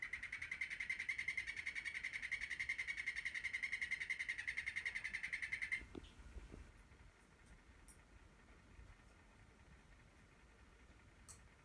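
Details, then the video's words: Male golden poison frog kept as a pet, calling through the afternoon for a female: a rapid, even, high trill of clicking pulses lasting about six seconds, then stopping and leaving quiet room noise. "My Terribilis Calling"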